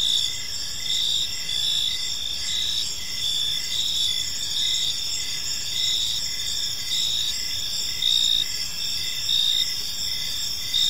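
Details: Crickets in a park on an evening, a steady chorus of high chirping bands with pulsed trills repeating about once a second, layered over a soft broadband hiss of background noise.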